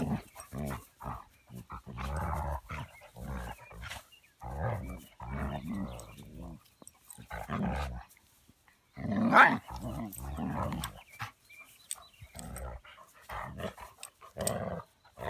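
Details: Buddy, a puppy of almost 20 weeks, in rough play with Boomer, producing continuous low grumbling growls in rapid pulses, broken by brief pauses and a few sharper yelps.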